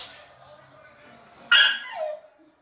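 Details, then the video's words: Dog giving funny noises in a small room: after quiet hum, one sudden sharp yip that slides down into a brief whine, then silence. "Funny dog noises"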